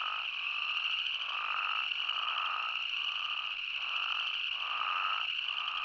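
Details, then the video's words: Spadefoot toads from Arizona in a thick chorus, sustained shrill hum beneath repeated swelling bleats roughly each second, callers overlapping throughout. "Arizona's Spadefoot Toad"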